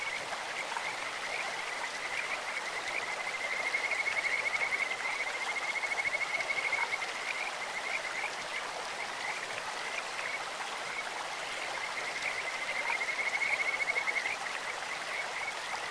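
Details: Two separate bouts of high, musical trilling from a Kajika frog in a clear stream, each a few seconds of quickly pulsed notes, separated by a stretch of flowing-water sound.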